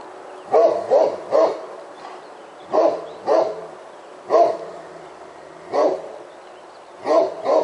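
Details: Roxy, a Great Pyrenees, barks while holding a black bear up a tree beside a house, after a commotion by the trash barrel; deep booming barks in clusters of two or three, about nine in total, with pauses between groups.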